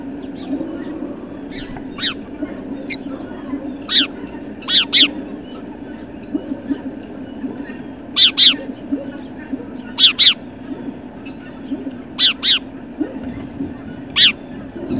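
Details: Great Dane puppies at Puppy Hill, recorded 21 March 2019 late in the morning, giving sharp high yips and short barks, some single and some in quick pairs, spaced irregularly every one to two seconds over a low steady hum.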